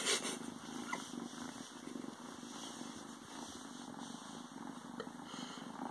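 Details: A newly adopted male Ragdoll kitten hides in pants and purrs: a continuous low, vibrating rumble, with a brief sharp rustle at the very start and a few soft taps.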